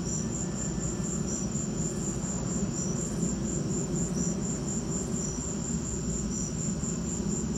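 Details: High, rapid cricket chirps pulse evenly through a lightning storm, a fainter lower-pitched cricket adding occasional chirps, while a continuous deep rumble fills the background.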